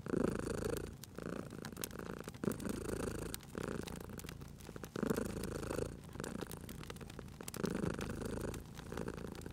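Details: Sleeping cat purring at a cozy fireplace: a steady low rumble that swells and fades in regular breathing cycles about every one and a half seconds, under constant snapping fire crackles.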